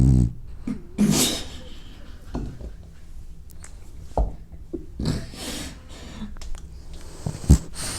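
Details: A sleeping, dreaming French bulldog snores in low, rumbling snorts with short breathy bursts in between.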